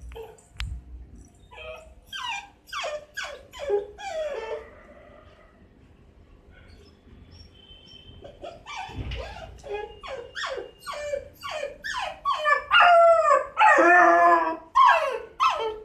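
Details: Six-month-old Miniature Dachshund puppy crying at night to go out, giving rapid short falling yips and whimpers in bursts, growing louder and more urgent toward the end, with a quiet gap midway.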